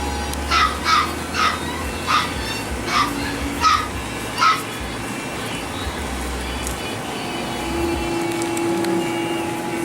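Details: Toy Poodle puppies let out seven quick, high yaps in the first half, evenly spaced. Then they fall quiet, leaving a low hum and a faint tonal background.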